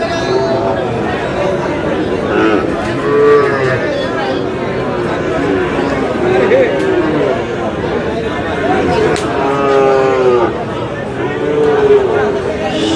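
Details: Sahiwal bull calves for sale at Aftabganj market, Dinajpur, Bangladesh; repeated short, wavering moos from several animals rise and fall amid dense crowd talk and bargaining voices.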